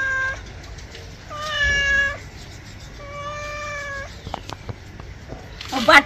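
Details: Angry domestic cat during a bath, uttering three drawn-out level meows, the last long and steady, followed by splashing and clattering near the end.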